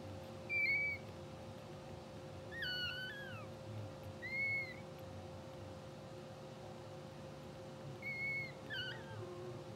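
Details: Two-hour-old English Bulldog puppies of a blue sable litter, twitching and dreaming in sleep on a live puppy cam, give thin high squeaks and short whines, some falling in pitch, scattered across ten seconds over a steady low hum.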